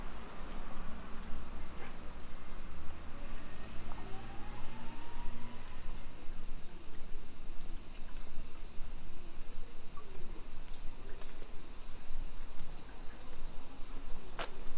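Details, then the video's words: Afternoon cicada chorus in Nisshin, suburban Nagoya, Japan, 28 July 2021, heard while walking residential streets: a continuous shrill hiss holds level the whole time over low traffic rumble and a faint rising whine. "Summer Cicadas Sounds"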